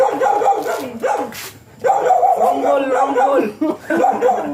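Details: During a stud session between two first-time Siberian Huskies, a dog whines and yodels in wavy, sliding tones, with a short pause before a longer warbling run.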